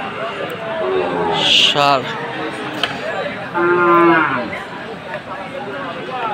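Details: Sahiwal bull calves at a cattle sale in Khulna, Bangladesh, on 7 January; two harmonic moos, a short one followed by a longer drawn-out low call, against steady human chatter and market background.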